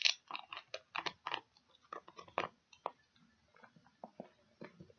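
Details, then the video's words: Pig-ear chewing by a dog, with quick crisp crunches and clicking bites packed closely at first, thinning to softer, spaced chews over a faint steady hiss. "Dog Chewing Pig Ears"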